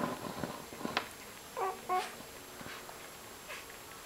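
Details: Ten one-day-old Broholmer puppies lying together indoors, recorded 28 December 2011; two short, faint, tonal squeaks with harmonics near the middle, amid soft rustling and shuffling of the litter.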